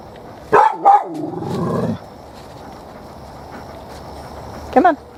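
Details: Shiney, a dog, upset at a cicada shell behind the trees, gives two sharp barks near the start and another pair at the end, with a drawn-out whine between them; a person speaks calmly to the dog.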